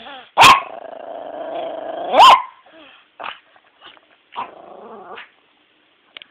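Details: Walter, a house dog unhappy about waking at noon, lets out two loud barks joined by a low sustained growling whine, then softer grumbles and short muffled sounds fading to quiet.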